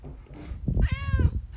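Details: Barn cat meowing while talking to a person: one drawn-out harmonic meow that rises slightly then falls, lasting about half a second, amid low rumbling handling noise.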